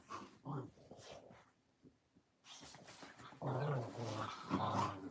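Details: Puppies at play, heard growling in short rough bursts that build into a louder, sustained rumbling growl over the final two seconds.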